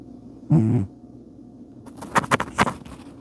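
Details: Bubba the cat asleep, giving one short low rumbling snore with a buzzy harmonic tone, then a few soft scratchy clicks after a pause.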